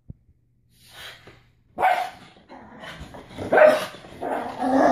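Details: After being bathed and getting wet, a male pug turns frantic: near-silence with a faint click at first, then a series of harsh, uneven barks, growing louder toward the end.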